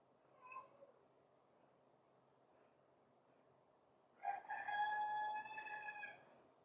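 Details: A stray female puppy adopting a golden retriever as her mother gives a short soft cry, then, after a long silence, a long, steady, high whine that holds for about two seconds before fading.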